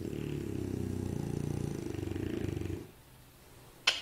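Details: French Bulldog snoring, a rough, rattling low drone held steadily for almost three seconds, then near silence and a short sharp clatter at the end.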